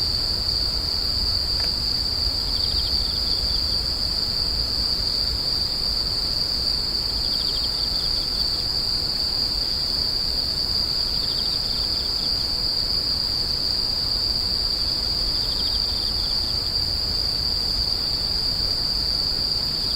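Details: Screeching grass insects keep up a continuous piercing trill, with several separate bursts of fast pulsed chirps spaced through the clip and a low rumbling background, plus one brief click early on.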